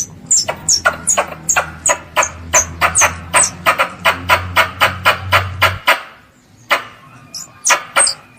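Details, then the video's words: Calling squirrel seeking its mother, used to draw pest squirrels: rapid, harsh clicking bursts about four a second mixed with high falling chirps over a low drone, which stops midway before sparser chirps. "THE SOUND OF A SQUIRREL CALLING ITS MOTHER"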